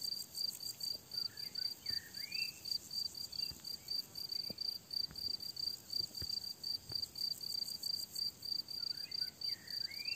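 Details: Crickets chirp in a steady, high pulsing trill in a summer meadow, with a thrush singing faintly in the background.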